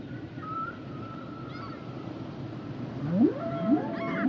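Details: Part of a humpback whale song: a long thin high tone drifting along, then three quick upward-sweeping cries near the end over low watery noise.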